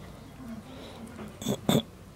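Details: Shiba Inu puppies at 28 days old give two short, bright squeaky yelps near the end, after soft low whimpers and faint rustling indoors.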